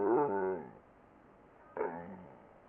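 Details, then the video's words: Twinkle, a pet dog, 'talking': a moaning, harmonic vocal burst lasting under a second, a pause of quiet room sound, then a shorter second utterance starting abruptly and trailing off. "Twinkle the 1 talking dog!"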